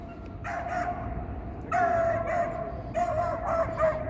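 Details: Dog barking in downtown Toronto on a mild April afternoon, apparently at a squirrel or another dog; three harsh bark bursts about 1.2 seconds apart over steady city traffic hum and a constant tonal drone.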